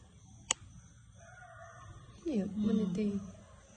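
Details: A cat, said to be sick, gives a loud, strained wail. It starts with a quick rise, holds a wavering tone for about a second, then fades. A sharp click comes just before, with a quiet background and soft voices nearby.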